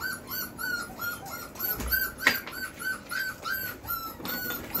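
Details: Beastie/Barron Belgian Malinois puppy, four weeks four days old, born 26 September 2021, crying in a rapid, even series of short high squeals, about three a second, with one sharp knock midway.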